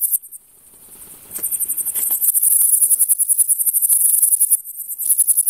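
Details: A Frivaldszky's bush cricket (Pholidoptera frivaldskyi) gives a very high, hissing song of rapid, steady pulses, recorded in a humid meadow near Kosari, Cherkasy Oblast, Ukraine, on 5 July 2023.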